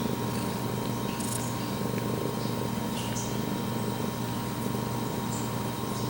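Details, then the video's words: Pumpkin, a male pet cat right up against the camera, purrs in a steady, low rumbling throb that carries through the clip, with a faint electrical hum running underneath. "Just about purring and meowing for 5 minutes"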